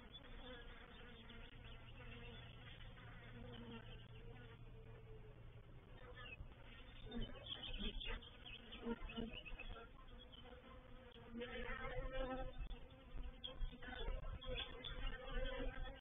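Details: Honey bees of a reproductive swarm moving into a bait hive at Painted Peacock Manor, 04/07/21: continuous layered buzzing that swells in the second half, with scattered crackles and clicks.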